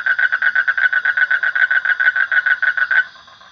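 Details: Frog giving a rapid pulsed trill, about six even, nasal pulses per second on one steady pitch, lasting three seconds and then stopping abruptly; no other sounds.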